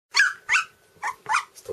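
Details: Two-week-old red standard poodle puppies, a litter indoors, giving high whining squeals: four short rising-falling cries in under two seconds, one drawn into a thin held tone, ending with a lower grunt.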